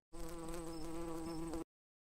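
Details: Bee buzzing from a children's farm animal lesson, a steady droning hum with even stacked harmonics and a slight waver, held for about one and a half seconds with no other sounds.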